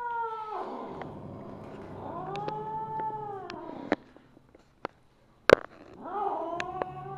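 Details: Siamese mother cat Misu, a Wichienmaat, recorded on 2/1/2015 in the evening, trailing off one meow, then voicing a sustained arched wail and a third call starting, with sharp clicks and taps in between.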